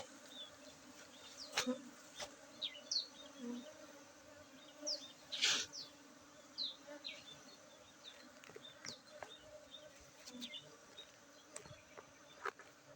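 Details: Honey bee colony droning during a honey harvest at Tingkem village, Bener Meriah, Aceh, Saturday 19 August 2023; a constant low hum under frequent sharp clicks and knocks, with small bird chirps scattered throughout.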